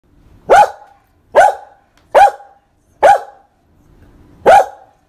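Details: A female Maltese dog gives five sharp, high barks, spaced about a second apart.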